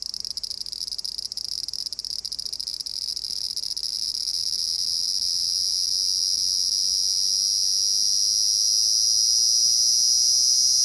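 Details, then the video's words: Very loud cicada heard during the Japanese summer: a dense, unbroken high-pitched buzz that keeps swelling steadily louder across the recording, with faint crackling early on and no other clear sounds. "A very loud Cicada"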